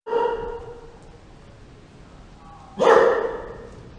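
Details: Dog barking: one loud harmonic bark at the start, then a fading tail and near quiet, followed by a second sharp bark near the end.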